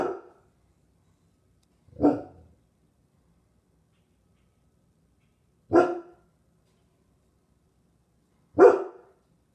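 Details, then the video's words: Two dogs, Lilly and Oliver, watching a squirrel in a tree: single sharp barks spaced about two to three seconds apart, four in all, with quiet between them. "Lilly and Oliver checking the squirrel on the tree."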